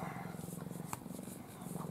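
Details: Affectionate pet cat Ai resting in her owner's arms in a face-covering sleeping pose, giving a low, even pulsing purr over soft background rustling.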